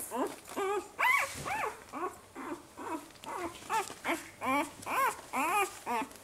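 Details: Newborn Saluki puppies, five days old, crying almost continuously: rising-then-falling whiny squeals, about two per second, loud and rich in overtones, with low whimpers between them.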